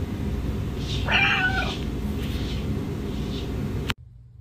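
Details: Blue-eyed Siamese cat giving one short, bending meow about a second in, over a heavy, steady low-pitched hum of room noise that cuts off near the end.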